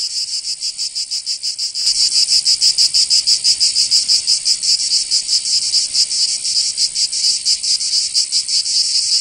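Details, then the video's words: Cicadas singing in summer in Provence, southern France: a dense, loud, high-pitched buzzing chorus pulsing rapidly and steadily, with a quieter stretch for the first two seconds before the sound swells. "Canto Cigarra"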